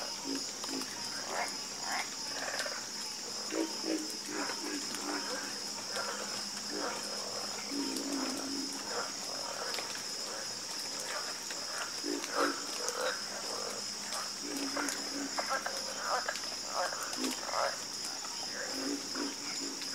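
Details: Dense nighttime frog chorus: numerous hoarse croaks and short rattles tumble over one another almost without pause, layered over an unbroken high insect whine.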